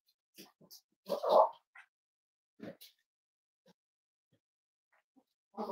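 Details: Cavalier King Charles Spaniel puppies snuggling indoors in a home where they are raised as emotional support animals: short soft whimpers, then a louder whining squeal and scattered small squeaks and rustles in a quiet room.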